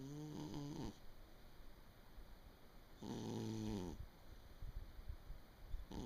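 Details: Pet cat in deep sleep indoors, December 2017: two drawn-out, rumbling snores about a second long, separated by a quiet pause, with a soft background hiss.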